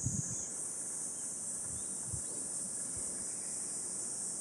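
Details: Cicadas calling on a hot 37°C summer morning along a walking path in Gifu Prefecture Hyakunen Park, Japan, 23 July 2026, under dappled sunlight; a steady, high, hissing drone that continues without a break, with a few low thumps and rumbles near the start.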